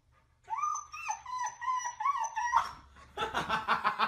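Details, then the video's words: Dog from a funny pet compilation, giving a run of wavering, whining, howl-like tones that rise and dip for about two seconds, then a burst of rough, harsh barking sounds. "DOG BARKING SOUND"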